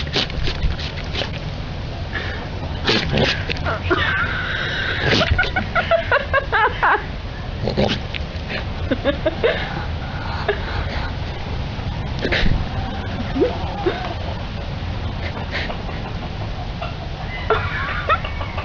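Goats give loud, strained, human-like screams and bleats in a choppy series of separate outbursts.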